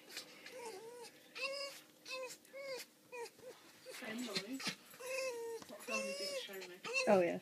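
A fox gives a series of high, whiny, arching calls, with people talking nearby.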